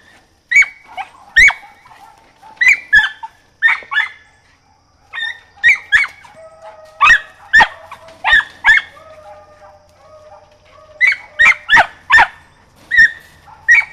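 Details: Rosie, a young mountain feist of four and a half months, yaps excitedly while training on a squirrel; bright, clipped barks come singly and in tight clusters across the whole stretch, with a low steady hum underneath.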